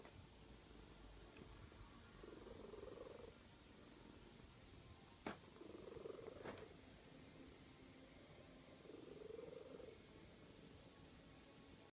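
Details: Domestic cat snoring while asleep, soft rasping breaths that swell and fade about every three seconds, with two sharp knocks partway through against quiet background hiss.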